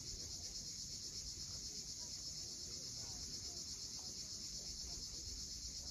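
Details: Cicadas at sunset above the sea at Cape Fiolent, Crimea, producing a loud, even, high-pitched trilling hum that never pauses, with only a gentle wash of waves in the background.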